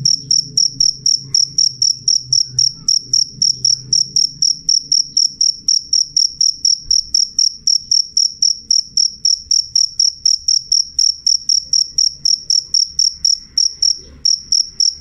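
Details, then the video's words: Jangkrik, a cricket, chirping loud and clear in a long, very even train of shrill pulses close to four per second, with only a soft low hum behind. "suara jangkrik jernih keras"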